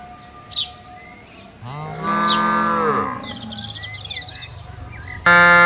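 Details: Tame cattle on expansive grassland, one long, full-bodied moo with dense harmonics holding steady for about a second and a half. Faint birdsong in the background, ending on a sudden loud steady tone.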